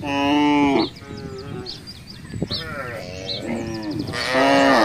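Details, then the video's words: Free-roaming village cattle wandering through a housing estate: a loud, harmonic moo opens and another closes the passage, with quieter lowing and a few faint high chirps between. "suara sapi"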